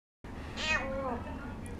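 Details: Cat at a cat café in Sendai begging for a treat: one clear, rising-then-falling harmonic meow lasting about half a second, with quiet room noise.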